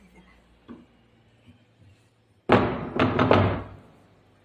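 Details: Quiet room noise with a few soft taps, then loud thuds and knocks overlapping a short burst of human speech, and no animal call.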